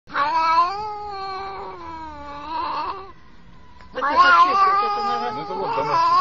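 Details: Domestic cat producing long drawn-out meows with clear stacked harmonics, a steady wavering tone for three seconds, a short pause with a faint hum, then a second rising and falling yowl.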